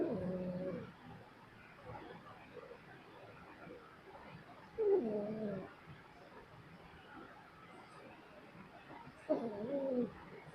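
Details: Sleeping dog snoring indoors: three rough, throaty snores with a buzzing, layered tone, spaced roughly four to five seconds apart, with quiet breathing noise between them.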